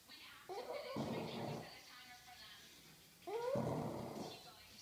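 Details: A sleeping French Bulldog named Daisy snores really loud. Two long, rough snorts start with a short rising whistle and then continue as a broad rattling breath, separated by a near-silent gap.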